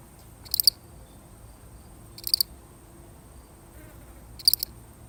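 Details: One solitary cricket chirps three times, each chirp a brief high trill of rapid pulses, spaced roughly two seconds apart over near silence in a real recording.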